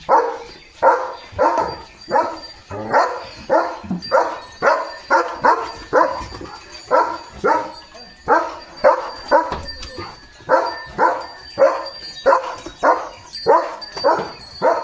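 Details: A pet German Shepherd named Leo keeps up a long morning barking run at cattle heading past to the fields. Sharp, hoarse barks come in quick, uneven bursts of two or three, nearly continuous for fifteen seconds, with a faint voice beneath.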